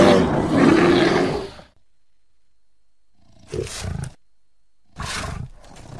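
An American black bear gives a deep, rough growling roar, then two brief grunting bursts.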